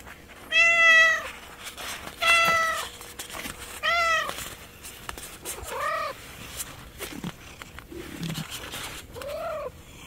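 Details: A street cat, orange-coated and averse to anchovies, meows repeatedly: six drawn-out, arching cries roughly every one to two seconds, the later ones softer and lower, over a quiet outdoor background.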